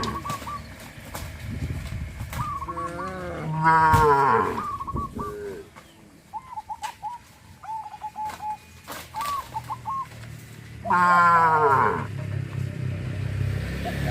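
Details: Cows herded along a countryside road lowing in long, deep, wavering moos around four and eleven seconds, with shorter moos early on and a string of brief high chirping calls from other animals in between.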